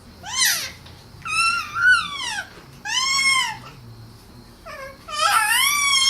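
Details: Izzy, a cat, calls repeatedly: five plaintive meows, each rising then sliding down, the last loud and drawn out, with quiet pauses between them and a faint low hum indoors.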